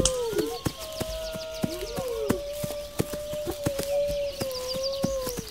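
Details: Several wolves howl together, steady drawn-out tones overlapping and gliding up and down, with faint higher chirps above and a sharp, regular clicking running all the way through.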